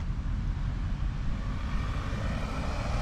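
Steady low engine rumble, like a passing vehicle, with no animal voice heard.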